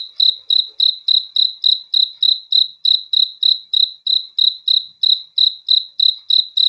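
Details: Night-time cricket calling, sharp high chirps pulsing evenly roughly three times per second throughout, nothing else audible in a quiet background.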